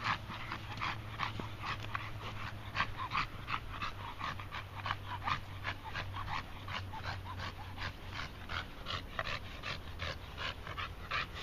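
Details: Red Staffordshire Bull Terrier Moses panting after walking once around a field; regular breathy pants about three per second, clear and even, over a low background hum.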